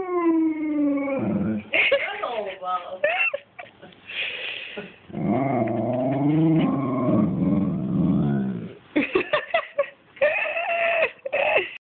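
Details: Alaskan Malamute Dexter 'wooing' indoors: long wavering, modulated howl-like moans that slide up and down in pitch, interleaved with a person's voice talking to the dog.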